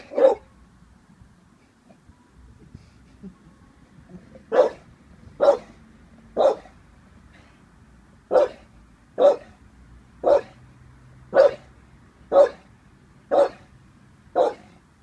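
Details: Staffordshire Bull Terrier, 18 months old, unsure of a balloon: sharp single barks repeated roughly once a second with short gaps, each a loud clipped burst, on a quiet indoor background.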